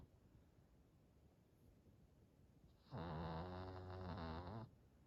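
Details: Hodu, a short-haired senior Chihuahua aged 91 months, snoring after a two-hour walk: one drawn-out, fluttering, rumbling snore lasting under two seconds, surrounded by quiet room hiss.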